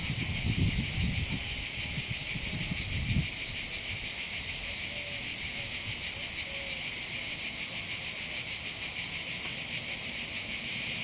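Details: Cicadas singing on the heights of Bandol, Côte d'Azur, overlooking a calm Mediterranean harbour: strident, evenly pulsed high buzz about three beats per second, with a low rumble of wind at the start.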